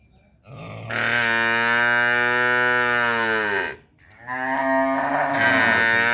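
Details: Cattle calf calling for its mother with two long, loud moos, the first steady for nearly three seconds and slightly falling at its close, the second starting after a short pause and still sounding at the end.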